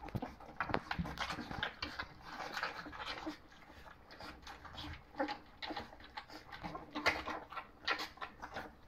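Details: Three-week-old puppies from the litter of Charlotte and Keep Cool, making soft whimpers, squeaks and snuffling noises in quick irregular bursts. Short clicking and rustling sounds run between the calls, with a quieter pause in the middle.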